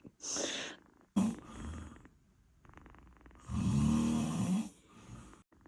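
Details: British Shorthair cat snoring, with irregular raspy inhalations, a sharp snort-like click, and one long droning, throaty snore near the end.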